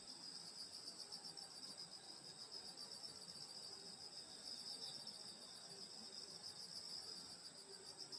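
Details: High, ringing grass-insect chorus on a summer night in the Korean countryside near a grandmother's house, continuous and steady, with faint scattered lower chirps beneath.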